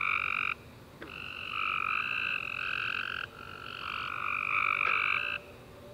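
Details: Night chorus of tree frogs following a rainy summer day: long overlapping trilled bursts, harsh and buzzy, running several seconds with short gaps between callers, faint clicks in the background.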